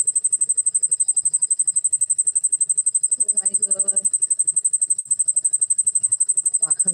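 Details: Loud cricket, wings visibly moving as it calls, producing an unbroken high-pitched buzzy pulse train at a fast even rate, with a short burst of Bengali speech midway and another at the close.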